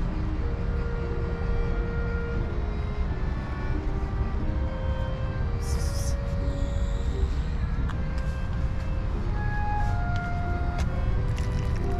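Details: Steady low traffic rumble fills the recording, with faint music and murmured voices behind it. No animal calls can be picked out.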